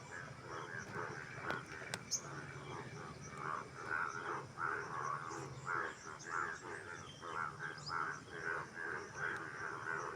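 A frog chorus of harsh, croaking notes repeated rapidly and overlapping throughout.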